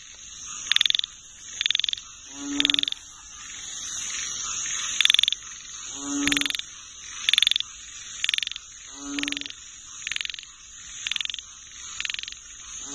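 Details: Chorus of frogs, with sharp pulsed rattles repeating roughly every second, some stronger and some fainter from several callers, and low twangy croaks dropping in now and then against a constant shrill background drone.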